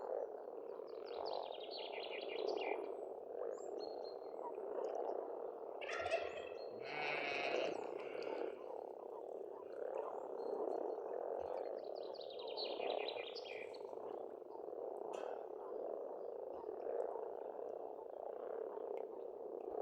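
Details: Frog chorus at a pond on an Estonian farmstead in spring: a dense, unbroken low croaking murmur throughout, with brief rattling trills and chirping songbirds rising above it around the second and sixth to eighth seconds.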